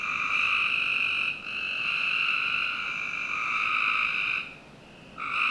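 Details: Summer-night frog chorus in a Northern Virginia backyard. Sustained, even trills overlap almost without a break, dipping briefly twice before starting again. Quiet background.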